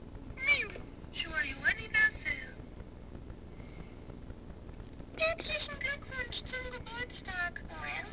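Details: A cat meowing in uneven bursts: a few short, bending meows early on, a quiet gap, then a quicker run of short, falling meows, with a low background hum.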